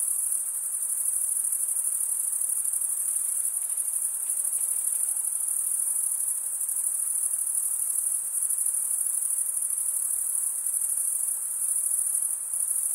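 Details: Crickets chirping, the males stridulating with the toothed vein under each wing, give an unbroken piercing trill of even volume, accompanied only by soft diffuse background hiss.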